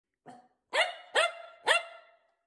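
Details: A two-year-old male Pekingese Chihuahua mix rescue dog from Bosnia barks indoors, asking to go for a walk: one soft short yap, then three sharp high barks about half a second apart.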